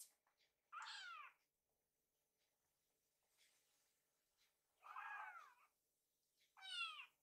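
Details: Hungry rescued kittens gather in the kitchen while food is prepared, giving three clear harmonic meows, each about half a second long, separated by quiet pauses.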